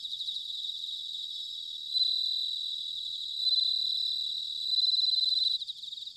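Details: Autumn bell cricket song recorded in Sanuki, Chiba, Japan: loud ringing high trills rising from a dense insect chorus, three prominent bell-like phrases each near a second long, separated by softer pulsing chirps.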